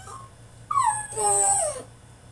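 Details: Caged French Bulldog in a tantrum gives a short faint whine, then a loud drawn-out cry that falls in pitch and wavers before fading, with a steady low hum underneath.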